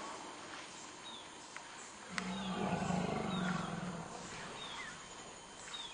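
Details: African forest elephants, two adult males clashing in a fight at Dzanga Bai, Central African Republic, the older male winning. A loud, harsh, low roaring rumble swells for about two seconds mid-clip; faint bird chirps sound throughout.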